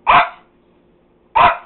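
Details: Household dog barking, two loud, full barks spaced about 1.3 seconds apart, each with a sharp onset and a quick fade, in a quiet room.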